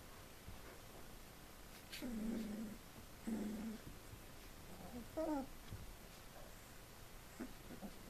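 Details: Four-week-old Collie puppies of litter D from the Flörsbachtal kennel: two low rumbling growls near two and three seconds, each about half a second long, then a short higher yelp and faint squeaks in a quiet indoor room.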